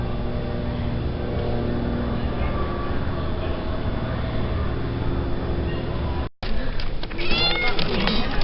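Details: Rescued cat during a November 2013 rescue, meowing in short, rising-and-falling cries packed into the final two seconds, after a long steady engine drone and amid background voices.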